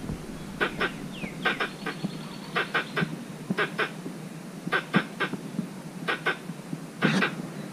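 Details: Squirrel calling for a mate in a mango orchard, recorded by chance on a walk; sharp clicking chirps in short pairs and clusters, repeated irregularly across the clip with a faint whistled note near the start.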